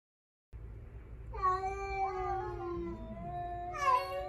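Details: Rescued house cats facing a stray cat while sunbathing, the youngest male stepping forward; a low, drawn-out moan with overlapping wavering tones, ending in a brief sharp rising cry.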